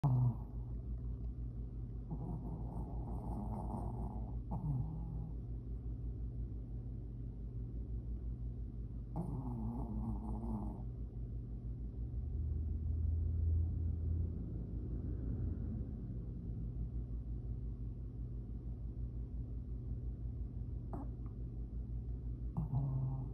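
A Shih Tzu snores loudly, a deep rumbling rasp that rises and falls with each breath.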